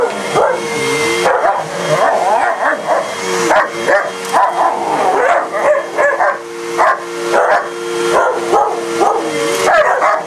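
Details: A German shepherd and a shepherd/husky mix go after a household vacuum, barking and yipping almost nonstop in rapid, uneven bursts while the cleaner hums constantly beneath.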